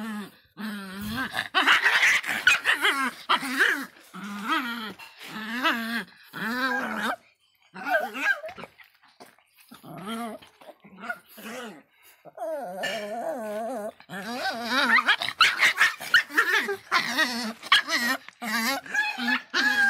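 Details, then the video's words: Miniature Pinscher named Faísca, described as fierce, giving drawn-out wavering whines and yelping cries in rapid uneven bursts, some rising and falling in pitch, with brief pauses between runs; indoors. "latidos de pinscher miniatura bravinho"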